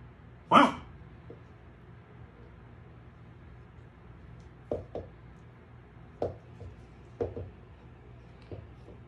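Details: Female Samoyed puppy named Milk (우유), born 26 May 2020, on her first day in a new home after adoption, indoors. One sharp, loud bark, then a series of soft, short yips spread over several seconds in a quiet room.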